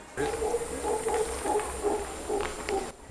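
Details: Distant mantled howler monkeys in bamboo-filled forest in Manuel Antonio National Park, Costa Rica, give a run of hoarse, barking grunts in quick succession, sounding like a dog barking.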